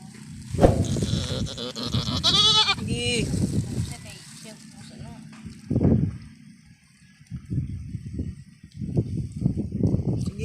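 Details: Newborn goat kid giving a wavering, tremulous bleat lasting about a second, amid people talking throughout and handling noises.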